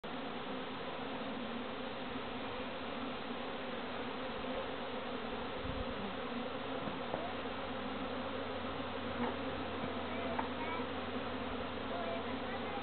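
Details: A dense, steady hum of many visiting honey bees droning together without pause; beekeepers later moved them to a more suitable home.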